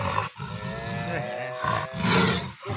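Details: Wild tiger caught in a trap in Aceh, where it had been troubling local residents. It gives rough, harmonic roaring growls in bursts broken by short pauses, with people talking nearby.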